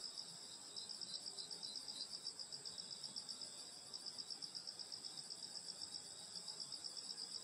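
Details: Summer night insects chirring in the countryside around a grandmother's house: a steady, high, shimmering chorus of several layered tones, one band pulsing rapidly about four times a second, continuous throughout with no other sounds standing out.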